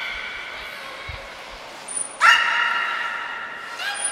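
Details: Beluga Niko in training at Port of Nagoya Public Aquarium, 25 February 2024: a high trainer's whistle, then a sudden loud, nasal harmonic call that holds and fades, followed by another whistle.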